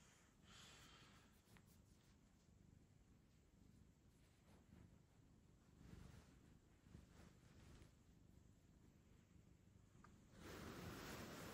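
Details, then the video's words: Fluffy domestic cat purring indoors, a soft, steady low rumble running through the whole stretch in close, quiet surroundings, with brief rustling and a louder burst of handling noise near the end. "He purrs this is true love"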